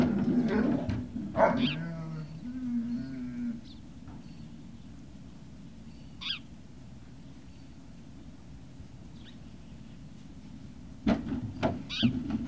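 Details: Great Dane puppies at Puppy Hill, 18 November 2018, early afternoon, give a sharp high whine with rising tone, then a lower, steady whimper lasting about two seconds; thumps and shuffling at the start and near the end.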